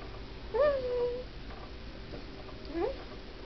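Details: Domestic cat making odd little noises while asleep indoors: one soft, thin squeak that dips and then holds level for about half a second, and a second brief rising squeak near the end, over quiet room hiss.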